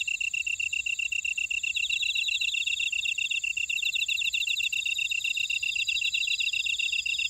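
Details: Grass insects singing in a buckwheat field in Ora-dong, Jeju City, South Korea: a constant bright pulsing chirp repeated rapidly and evenly, joined by fainter trilling callers higher up, with no other sounds.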